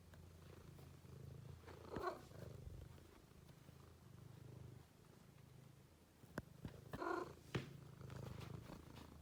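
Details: Continuous low purring from Kiwi, a pet cat, in a quiet room, with two brief soft chirping sounds and a couple of sharp clicks breaking the steady rumble.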